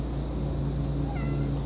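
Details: A vocal pet domestic cat gives one short meow with stacked harmonics late in the clip, over a steady low hum.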